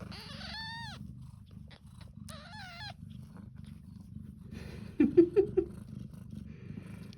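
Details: A Devon Rex mother cat purrs in a steady low rumble while her two nursing kittens fight over food, high thin mews breaking in.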